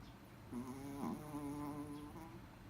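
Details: Toy Poodle snoring: a buzzy, droning tone with stacked harmonics, swelling from about half a second and holding steady with a slight waver before fading near the end.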